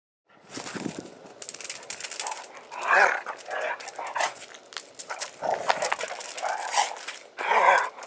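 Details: Two pet dogs, Jake and Lacy, play fighting and chasing each other in a yard; Jake is the loud one, about 30 lbs heavier than Lacy. Rough growling and whining bursts come in uneven clusters amid scuffling noise.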